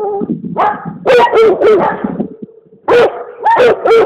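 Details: Komondor letting out a burst of several loud barks in quick succession, a brief lull, then another fast cluster of three barks.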